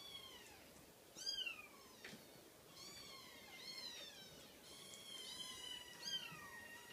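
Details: Cream Scottish Fold kitten mewing in a run of high, thin, clear meows. Each one slides downward, some overlapping, with brief gaps between calls over a faint steady background hiss.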